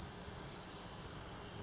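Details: Captive bell cricket reared by a family in Japan from a newly hatched nymph, singing at night near rice paddies; a bright, sustained high ring that swells and then breaks off abruptly, leaving quiet background.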